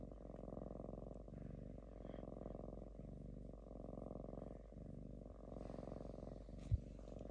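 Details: Lynx living in a home purring while calm and dozing, a strong tractor-like pulsed rumble repeating in roughly one-second breathing cycles, with a single sharp knock near the end.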